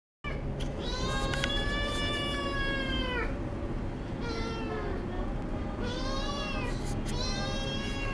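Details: Kitten meowing because it wants to go somewhere too: four long, drawn-out, harmonic-rich meows, each rising then sagging, over a steady low background hum.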